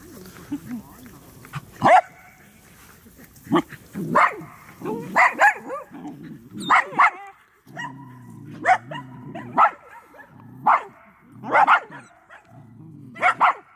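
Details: Medium Poodle running outdoors, giving repeated sharp barks roughly every second, some in quick pairs, alongside low murmured speech from a person nearby.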